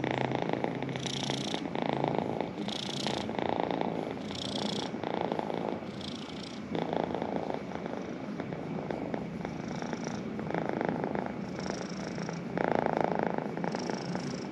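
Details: Pet cat purring close up, a continuous grainy rumble that swells and eases with each breath, the cycle repeating about every one and a half seconds.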